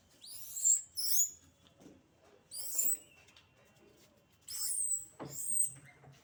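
Monkeys let out high, harsh screeches, each a brief noisy burst that rises and fades. The cries come in pairs and clusters, separated by quiet gaps.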